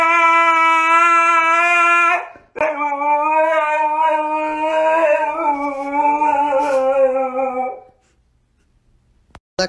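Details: A Siberian Husky gives a dramatic, drawn-out howl: one steady tone for about two seconds, then a longer wavering, slightly rising howl that fades to silence.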